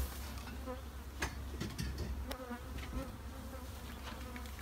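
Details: Bee shed with honey bees giving a dense, low buzzing drone, faint wavering tones on top and several crisp clicks and taps throughout.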